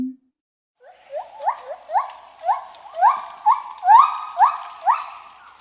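A gibbon gives a series of rising, hooting whoops that grow louder and quicker.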